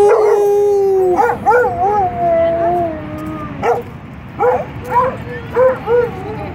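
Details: Several dogs howling in response to a fire truck siren; long wavering howls give way to short, repeated yelping howls, each about half a second, spaced unevenly.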